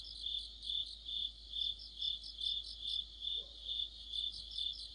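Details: Autumn night chorus of crickets and fellow insects by a streetlamp, high pulsing trills rising and falling in regular waves roughly every half second, a faint brief low sound in the middle.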